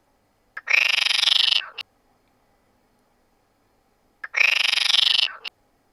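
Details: A male common frog in a pond gives two rasping, rapidly pulsed croaks, each just over a second long. This is spring courtship calling from April to July, at dusk and night, heard amid rival fights; only males sing, and the calls draw in females.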